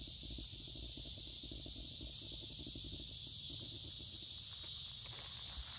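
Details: Many noisy cicadas singing in midsummer woods along a creek on a warm, humid day; a steady, dense high-pitched hiss-like drone fills the whole clip without a break, with faint low rustling beneath.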